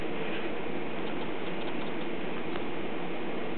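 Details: Steady broadband rushing noise throughout, with no animal voices audible.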